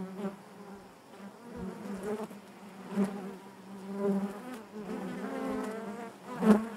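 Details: Honey bees buzzing inside their hive: a steady low hum with layered harmonics, swelling and fading as individual bees pass close, with brief louder bursts near the third and sixth seconds.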